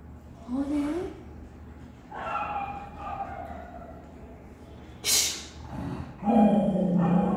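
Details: Pomeranian dog greeting friends at the gate after a long separation; excited yips and short whines scattered through the recording, one sharp noisy burst midway, with music and a person's voice nearby.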